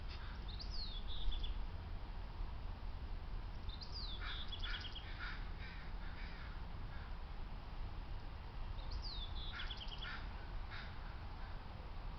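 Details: Eastern grey squirrel at Woodland Park Zoo, escaped up a tree, barking in alarm at a stalking maned wolf; three harsh bursts, each a high falling whine then quick chattering pulses, roughly every four seconds over a low outdoor rumble.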